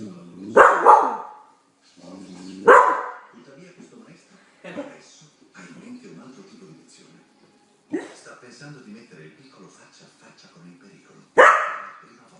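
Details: Blue heeler Australian Cattle Dog barking while watching TV at home; four loud, abrupt single barks spaced several seconds apart, with Italian-language documentary narration playing steadily from the television between them.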